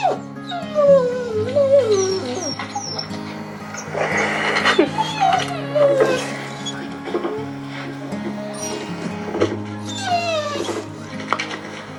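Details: Recording of a new litter of puppies played from a computer to their blind half-sibling: wavering, whining whimpers that rise and fall, several in quick succession, with a few higher squeaks, over continuous music in a small room.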